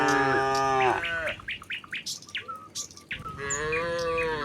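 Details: Tame cattle heading down a hillside to the pen; a long moo opens and another closes, with a burst of quick bird chirps and clicks between them in a rural setting.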